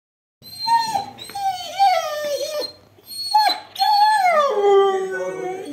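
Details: Siberian Husky giving a drawn-out vocal howl in two long phrases, wavering and sliding up and down, the second ending in a falling whine.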